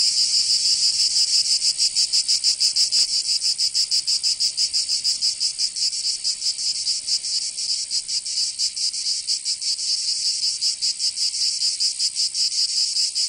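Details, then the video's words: Cicadas in summer, Provence, southern France: a loud, high, rasping drone whose pulsing shifts in rhythm and eases slightly in loudness toward the end. "Canto Cigarra 🦗 [ Escuchar les cigarras en verano 10 H]"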